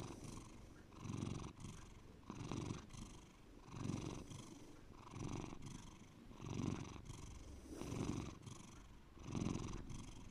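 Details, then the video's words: Bear, a pet cat, purring deeply indoors: a low rumbling purr swelling and fading in steady cycles about every 1.3 seconds, with short quieter breaths between the louder pulses. "my cat Bear deep purring"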